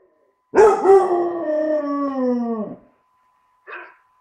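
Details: Tricolour basset hound puppy, four months old, learning to howl: one long, steady, mournful howl lasting about two seconds that slowly slides downward, rich in overtones, followed after a pause by a brief higher yelp.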